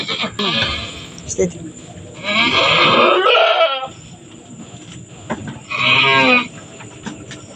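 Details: Goat doe delivering kids on a small farm, two kids born in quick succession; harsh, breathy bleats come in bursts, some with a trembling, wavering tone, amid low background noise.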